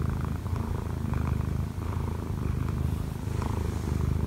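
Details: Short burst of deep, pulsing purring from Kkobugi, a sixteen-month-old odd-eyed Munchkin cat kneading on its owner; brief dip mid-breath, then the rumble resumes, indoors and quiet.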